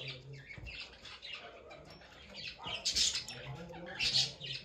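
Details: A small guinea pig gives harsh, high squealing bursts, two louder shrill squeals standing out near the end over soft background rustling.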